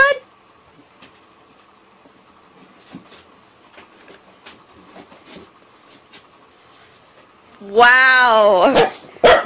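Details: Cardigan Welsh Corgi, a pet dog that got stuck under something at home, is coaxed out. After long near-quiet with faint shuffles and taps, it lets out a short burst of wavering, whining yelps near the end.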